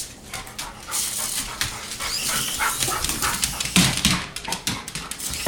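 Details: Dog excitedly chasing a remote-control toy car, giving rapid, irregular barks and whimpers mixed with panting, while a man urges it on and the toy's whirring is heard.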